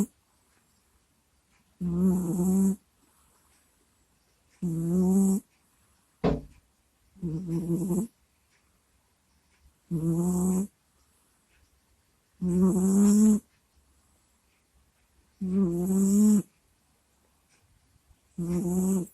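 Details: Sleeping house cat snoring into a microphone: steady rhythmic snores with a raspy, groaning tone, about one every two and a half seconds, each lasting close to a second, in a quiet room.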